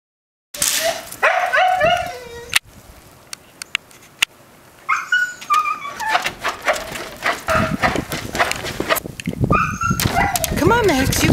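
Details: Siberian Husky indoors during the blizzard 'Nemo' on the morning of February 9, 2013, in Belmont, MA, screaming to go out again: high wavering whines and yelps, rising and falling, in bursts with pauses, plus rustling and handling noise.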